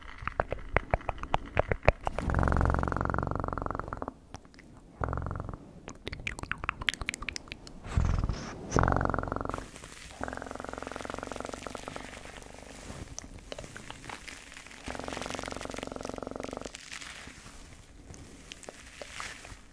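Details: Domestic cat purring close to the microphone in steady low rumbling bursts of two to three seconds, with loud clicking and rustling handling noises between and over the purring.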